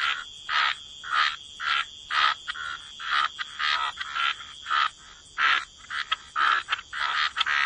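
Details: Croaking frogs at the waterside: rhythmic, grating croaks repeated nearly twice a second in a steady series, each short and buzzy with a slightly tonal core.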